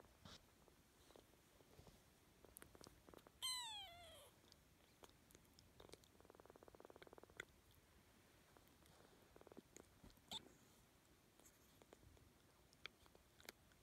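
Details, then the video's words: Orphan kitten being loved by a Shetland Sheepdog purrs with a faint, rapid, rumbling pulse, broken once by a short high mew, amid light handling noises and clicks. "Otter purring"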